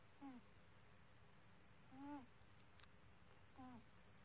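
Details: Sleeping pet cat snoring: three soft, squeaky nasal whistles, each slightly arched in pitch with faint overtones, spaced about one and a half seconds apart over quiet background hiss.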